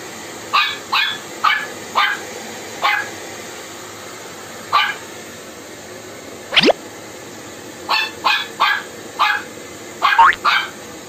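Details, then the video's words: Shih Tzu barking in reaction to a snoring prank, short sharp barks in irregular bursts, about a dozen over eleven seconds, some in quick pairs near the end, with one rising squeal-like sound midway over a steady background hiss. "SHIH TZU PRANK SNORING,RABIYA AND WRECKER REACTION"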